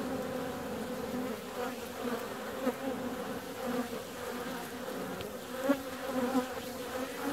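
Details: Honey bee flying out on a warm February day, a steady low droning buzz with a strong hum and a higher overtone, swelling briefly as a bee passes close around five and six seconds.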